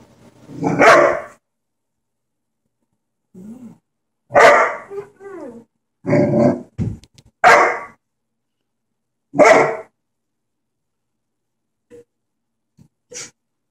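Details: German Shepherd barking at his own reflection in a mirror: loud, harsh single barks spaced irregularly, roughly every one to two seconds, mixed with a few softer grumbling sounds and short pauses of silence.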